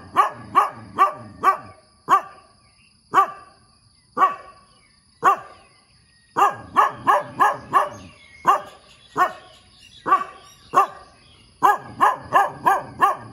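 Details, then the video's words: Energetic morning barking by a dog: fast volleys of four or five barks alternate with slower single barks about one second apart, loud and sharp, over a faint steady high-pitched hum. "เสียงหมาเห่าตอนเช้า เห่าเก่งมาก"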